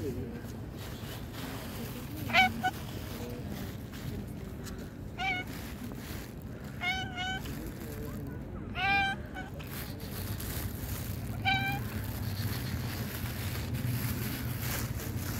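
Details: Young tabby cat sitting on a park bench gives about five short, sweet meows, some wavering and others sliding in pitch, spaced a few seconds apart, while people talk nearby over a low background rumble.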